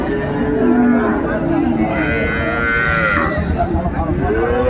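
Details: Cows and calves on sale at Ambari market, Dinajpur, Bangladesh, 31 January 2025: repeated long, harmonic moos, one rising higher and wavering near the middle, over a busy background of market voices.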